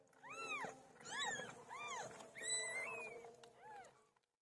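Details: A birthing pet cat named Pilo gives about five evenly spaced meows, each swelling up and dropping in pitch, one stretched into a longer flat wail, over a soft steady hum.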